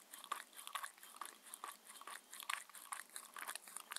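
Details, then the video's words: Shetland Sheepdog Mindy, six years old, crunches through her daily dinner of chicken and raw beef. Sharp, brittle bites cluster in groups with quieter gaps, about two per second, in a quiet small room. "Dog eating and drinking Sounds"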